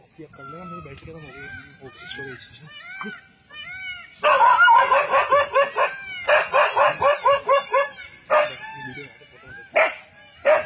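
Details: A dog facing down a leopard in a forest, barking hard in a fast run of tonal barks after quieter, wavering calls at the start, then spaced single barks near the end.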